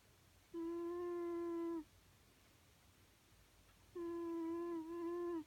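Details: Snoring from a sleeping pet cat: two sustained, hum-like nasal tones over a second long, separated by about two seconds of near silence in a small room. The second tone wobbles briefly midway.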